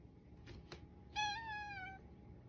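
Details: Toto, a clingy pet cat, meows in a hoarse voice as if desperately trying to communicate: one drawn-out harmonic meow lasting about a second, slightly rising then level, after two faint short sounds in a quiet indoor room.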